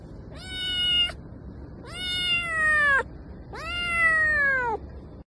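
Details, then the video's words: Domestic cat meowing: three long, drawn-out harmonic meows, each rising then slowly falling in pitch and lasting about a second, with short pauses between; quiet background otherwise. "cat video ! cat voice ! cat sound ! cat meowing"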